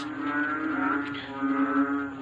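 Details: Many frogs calling together at night, loud enough to keep someone awake; a dense, droning chorus of low, moaning, harmonic calls that swell and fade in overlapping waves.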